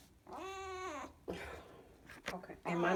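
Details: A female kitten at bedtime, after a rough day of tummy trouble, gives a drawn-out, harmonic meow, followed by a woman talking softly.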